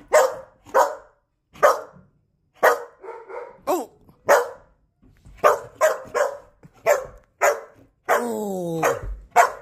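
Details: Border Collie in personal protection bitework training, giving sharp, loud barks in irregular bursts of one to three, with a short harmonic whine in between and a long falling tonal sound near the end.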